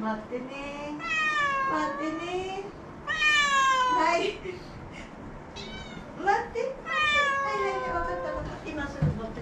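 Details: ['Pair of formerly rescued domestic cats calling insistently for food inside a home: a series of loud, stretched, rising-and-falling meows, around six of them, following close on one another.']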